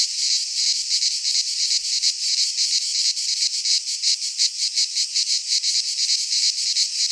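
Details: Cicadas calling in midsummer among Greek pines: a bright, high buzzing chorus pulsing quickly and regularly, steady in loudness, nothing else audible.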